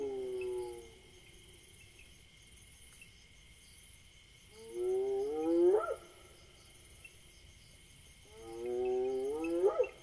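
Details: In Africa, a Senegal bushbaby gives three nasal, wavering wails about four seconds apart, each sweeping sharply upward at the end, over a steady high insect drone.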